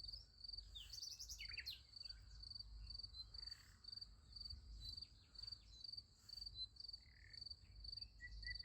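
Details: High, evenly pulsed cricket chirps on a summer night next to a sunflower field, running steadily, with a short flurry of sharp bird calls near the start and a soft low rumble beneath.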